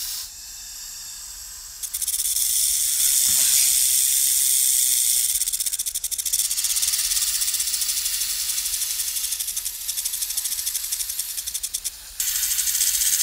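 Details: Snake gives a long, forceful hiss, rough and slightly fluttering, after a quieter opening; it keeps going for about ten seconds before a brief dip and renewed hissing.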